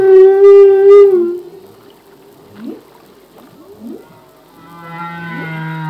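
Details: A male humpback whale sings a long, rich moan, then short rising whoops and a low drawn-out tone; recorded off Hawaii in 1998.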